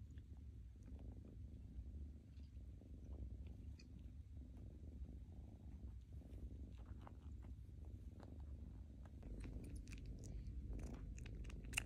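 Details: Rescued kitten sucking on its own paw pad indoors: a steady low purring rumble throughout, overlaid with soft, irregular wet clicking sucks that grow denser and sharper toward the end.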